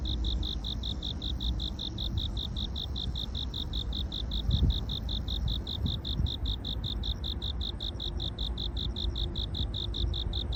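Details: A cricket heard during the day chirps in a steady, rapid series of short, high pulses.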